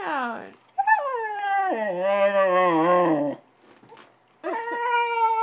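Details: Angry puppy protesting, wanting out to play: a long wavering, descending howling wail lasting over two seconds, a quiet pause, then another rising, sustained cry; indoors.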